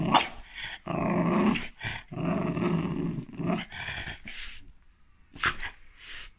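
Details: A French bulldog, reacting to profanity, gives drawn-out, throaty grumbling growls in two long bursts, followed by short sharp noises, as its owner tells it to hush.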